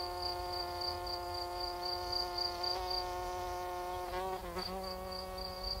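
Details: Cricket chirping in the night: quick, high pulses repeated steadily, pausing briefly near the end before resuming, accompanied by a continuous low hum that wavers in pitch.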